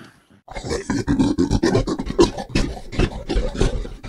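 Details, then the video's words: Gorilla, a large African ape, giving a deep, rough roaring call made of rapid, irregular growling bursts with a low, raspy rumble throughout; no other clear sounds. "What does a Gorilla sound like?"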